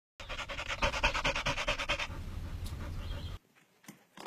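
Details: Labrador Retriever in the USA panting rapidly, quick rhythmic breaths about two per second for three seconds, then near silence with a few soft clicks.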